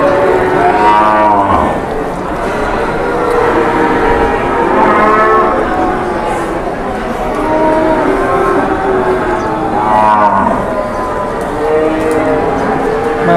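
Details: Cattle lowing at a busy Indonesian cattle market while buyers and sellers haggle over a sale; two drawn-out harmonic moos, one near the start and another about ten seconds in, over a steady murmur of crowd voices and market bustle.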